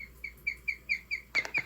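A guinea pig chirps like a bird: about eight clear, high notes repeated roughly five times a second, with a brief rustling noise near the end.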